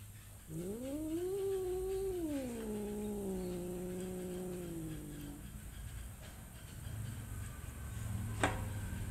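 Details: Domestic cat letting out a single sustained caterwaul that swells upward, holds, then slides lower and fades after about five seconds; a brief sharp click follows near the end over low background hum.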